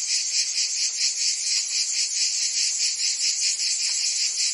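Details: Cicadas of Provence, France, in summer: a brief stretch of intense high-pitched whirring, beating in regular pulses a little over twice per second.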